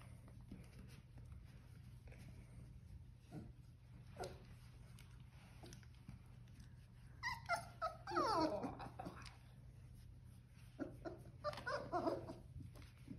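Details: Four-week-old female Old English Sheepdog puppy, Ellie's Green Apple Girl, born 10/23/22 to Ellie and Wally, gives high, wavering whines and squeaky whimpers in short bursts in the second half, over a steady low hum indoors.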